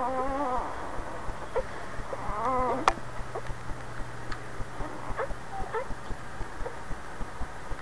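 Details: Boxer mother named Cry Cry Baby with her new puppies: two wavering, quavering high whines early on, then soft intermittent squeaks and ticking sounds over a steady low hum.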